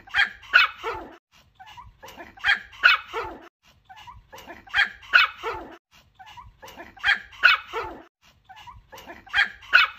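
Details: A dog barks in quick double bursts of high, bright sound, trailed by fainter yelps. The same sequence repeats steadily about every two and a half seconds across the stretch.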